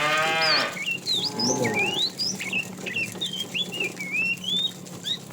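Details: Fat cow calling to a female while a tame herd is driven in the afternoon; a short, rich moo opens, a softer lowing follows a second later, and bright chirping birds twitter steadily throughout.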